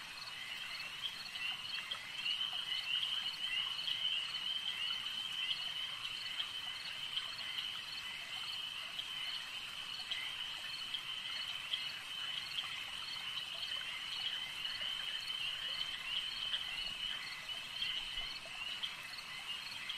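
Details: Frogs calling at a lake: a dense, continuous chorus of high, rapid trilling croaks that blend into a steady shimmering drone, with faint clicks layered throughout and no other clear sounds.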